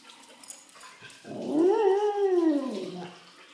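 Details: Vizsla, a three-legged dog, giving the breed's famous roo-roo in excitement and anticipation of dinner: one drawn-out, smooth howling roo that rises then slowly falls over about two seconds, with faint household noise before it.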